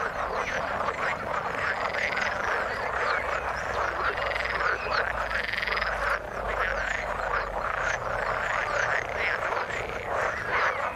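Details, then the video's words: Frogs in the water calling as a dense, continuous chorus of overlapping croaks and trills in a steady pulsing wall of sound, with no other noise standing out. "Frog sound in the water"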